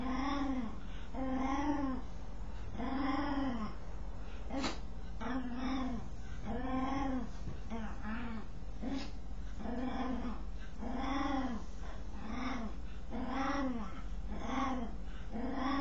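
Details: While scratching itself, a dog gives a long series of rhythmic, arched, nasal moans, each rising then falling, repeated roughly every second with a few brief irregular grunts between them; constant low hum underneath.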